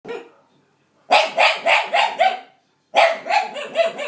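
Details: Pet dog, male and described as a bit of a wimp, making weird noises while the owner's nephew stares at him: a short whine, a pause, then rapid bursts of four or five harmonic, yelping whoops, repeated twice.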